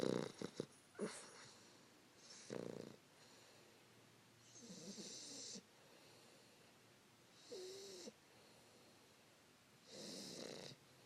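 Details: Sleeping 3-month-old English Bulldog puppy Fannie, cuddled with her owner around 5 AM, gives uneven snores and wheezy breaths, some with a whistling, rising tone, spaced a few seconds apart, with sniffly snorts at the start.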